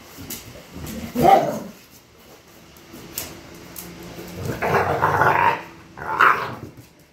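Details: Pit bulls fighting: rough, snarling growls and harsh barks come in loud bursts, with a short outburst, a longer snarling stretch in the middle, then a final sharp bark, over a low, noisy background.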